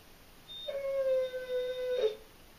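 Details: German Shorthaired Pointer howling from separation anxiety, part of a bout said to last about eight hours; one steady, sustained tonal howl of about a second and a half with rich harmonics, ending in a brief rougher flare, quiet room otherwise.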